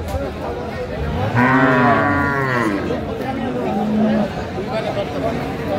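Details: Dairy cow of an improved breed at the Aftabganj cattle market in Dinajpur on 19 December 2024: a low, drawn-out harmonic moo lasting about two seconds, with a shorter lowing call later, over steady crowd chatter and talk.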